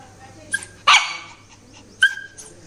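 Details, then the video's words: Shih Tzu, angry and put in the naughty corner, gives three short barks about a second apart, one loud and harsh, the others thinner, with a person speaking nearby. "Angry Shih Tzu | Naughty Corner"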